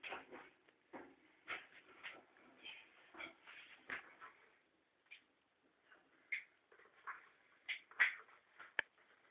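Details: A ferret fighting for food gives irregular bursts of raspy chatter mixed with short, high squeaks.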